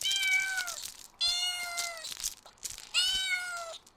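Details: Kittens stalking and chasing butterflies on the grass meow three times, each drawn-out cry about a second long, harmonically rich and sliding slightly downward, with short pauses between them.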